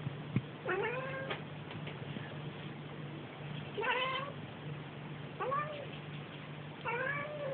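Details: Domestic cat calling indoors with four separate meows spaced about two seconds apart, each rising then falling with a bright harmonic tone, steady low electrical hum underneath.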